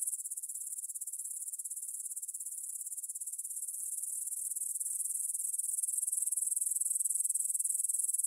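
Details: Evening meadow chorus of stridulating grasshoppers by the Svensky monastery in Bryansk, Russia, 9pm, 6 September 2020, Tascam DR-44WL stereo recorder; a dense, shrill, fast-pulsing buzz holds constant and grows slightly louder toward the end.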